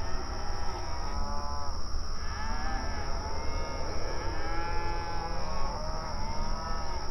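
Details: Grazing cattle on an outdoor open range pasture, mooing back and forth; many faint overlapping moos with curved, wavering tones fill the whole stretch, distant-sounding, under a continuous low hum.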